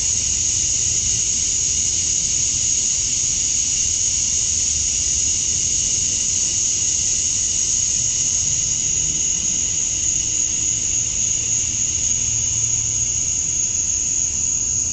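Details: Summer-night cicada chorus at dusk in Georgia, USA, males chirping to attract females. An unbroken high, hissing drone with a strong sharp top band stays level from start to finish, low distant rumble beneath.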